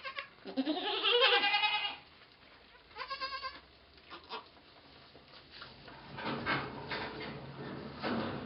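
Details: Domestic goat giving birth to twins, 2 November 2011: a loud, wavering harmonic bleat in the first two seconds, then a shorter bleat near three seconds, with quieter bleating and rustling toward the end.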